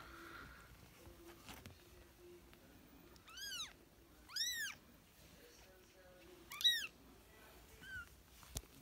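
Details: British and Scottish kittens at play, giving clear rising-falling meows around 3.5, 4.5 and 6.7 seconds, plus a fainter one near 8 seconds, over quiet room hum with a brief click.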